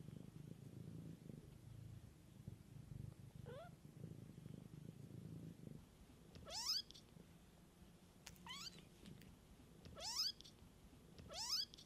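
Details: A mother cat tends her kittens in nature. A low throbbing purr fills the first six seconds, then gives way to a series of high, rising kitten mews, several sharp and squeaky, repeated every couple of seconds.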